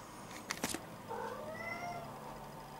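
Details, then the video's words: A sleepy domestic cat yawning: a few short clicks and rustles, then a soft, drawn-out vocal sound gliding slowly upward and fading, with a quiet indoor background. "Sleepy cat"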